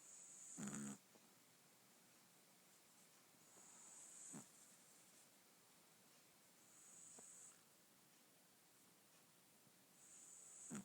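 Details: Albino Pekingese puppy snoring while asleep and stretching: soft breathy snores with a hissing edge, repeating about every three seconds, in an otherwise quiet room.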